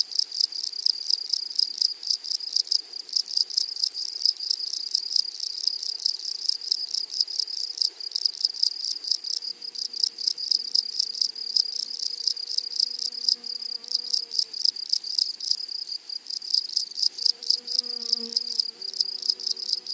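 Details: Grasshoppers in a flowery meadow, a dense rapid pulsing buzz high in pitch that runs continuously throughout, with faint lower tonal sounds drifting in the background.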